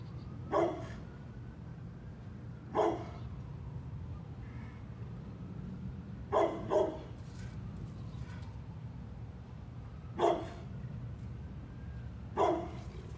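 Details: Energetic brindle pit bull, a male, playing on his own with no toys: six sharp barks at irregular intervals of roughly two to four seconds, one quick double bark midway, over a constant low background hum.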